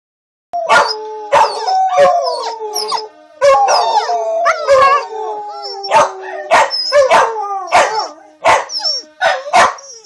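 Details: Two Corgis howl together at fire sirens one morning after a power cut, in long, wavering, sliding tones broken by sharp yips.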